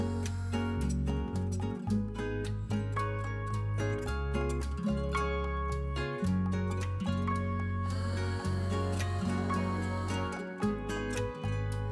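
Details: Gentle plucked string music with a steady low bass line plays throughout, and no animal calls stand out.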